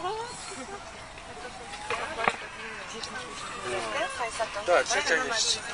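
A zebra gives a rapid, barking run of harsh yelping notes, about three per second, building toward the end after a thin rising tone.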